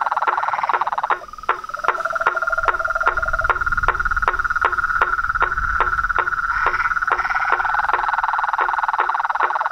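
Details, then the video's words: Frogs, toads and treefrogs singing at dusk at a pond in front of a house veranda, a long steady trill crossed by evenly spaced sharp clicks about twice per second, with a low hum beneath. "A SINFONIA DOS SAPOS, RÃS E PERERECAS"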